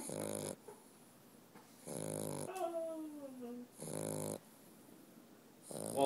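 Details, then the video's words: Walter, a dog, snoring steadily: four raspy snores about two seconds apart, with a brief falling whine-like tone between the second and third. "Walter the snoring dog"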